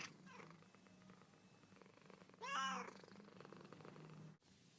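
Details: Domestic cat from a funny pet compilation, uttering a single short wavering meow midway through, over a steady low hum and faint room noise.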